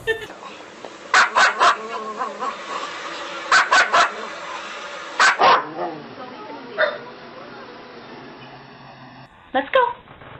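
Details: A pet dog at home gives several short, sharp barks in pairs and triplets, spaced a couple of seconds apart, while a person talks to it about lettuce and meat.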